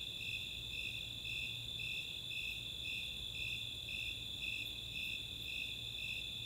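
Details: Summer night in the open space of Chautauqua, Boulder, Colorado, with a chorus of Snowy Tree Crickets and Four-spotted Tree Crickets: a shrill unbroken trill carrying regular high pulsed chirps, just under two each second, throughout.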